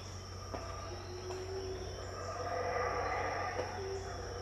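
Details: Howler monkeys at Tikal, Guatemala, around 6am in 2018, heard but unseen: a distant, rough roaring chorus swells in the second half, over a steady high insect whine and a low constant hum.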